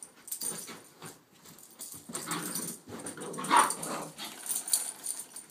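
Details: Puppy sisters at play, a one-year-old Rhodesian and an eight-week-old Shepherd/Rott mix pup, giving soft continuous grumbling growls and whines amid shuffling, with a brief higher yip midway.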